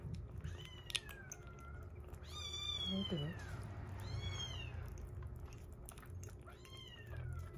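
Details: Rescued kitten kept indoors, day 47 of its growth record, alongside a younger milk-drinking baby cat; three drawn-out, strongly harmonic meows rise slightly then fall, spaced a couple of seconds apart over steady low background hum.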